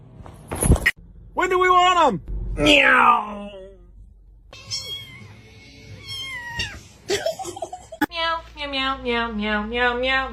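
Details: Domestic cat giving several drawn-out, arching meows, one harsh and strained, then a long wavering yowl near the end, with people talking and laughing between the calls indoors.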